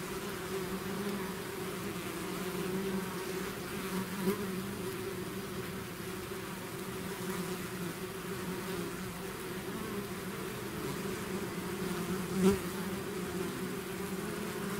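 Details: Natural buzzing of a bee swarm leaving its hive, a long, level, humming drone with faint flickering overtones, two short sharper buzzes as bees fly close, otherwise uniform throughout.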